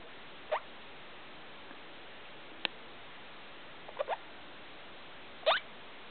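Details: Pet degu calling indoors at 2 o'clock in the morning, waking its owners: four brief, thin, rising squeaks spaced a second or more apart over a quiet background hiss.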